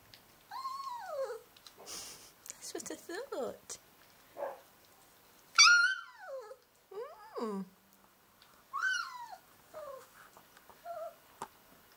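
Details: Northern Inuit Dog puppies Tikkon and Red, Christmas 2011, make drawn-out whining grumbles that slide downward, several long yodelling notes with shorter whimpers between, plus a person talking to them in a small room.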